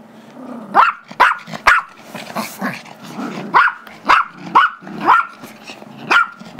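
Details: Gizmo, a 5-year-old Chihuahua/Yorkie mix, demands the squeaky toy his 2-year-old Yorkie brother Tigger holds during play; a low growl opens, then about ten sharp barks, some clustered, with rustling between.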